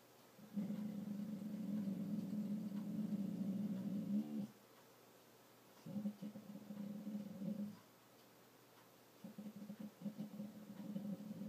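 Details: Dog growling indoors while trying not to bark: a low, rumbling growl held about four seconds, then two shorter rumbling growls after pauses.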